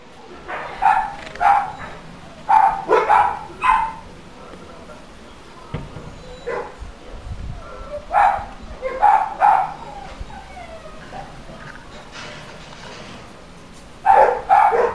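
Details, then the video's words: Nuisance dog barking recorded for council noise monitoring: bursts of two to four sharp barks separated by quieter gaps, with faint background noise between the bursts. "Dog barking Council noise nuisance monitoring"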